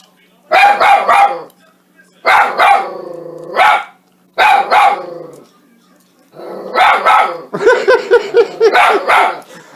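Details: Pet dog barking frantically at the noise of a soup maker: sharp, loud barks in four rapid clusters separated by short pauses, about four barks a second, over a faint steady hum.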